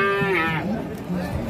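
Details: A rampaging fat bovine at a market that has collapsed among alarmed people gives a short, rich, harmonic-laden moo that slides slightly downward. Low murmurs and background bustle follow.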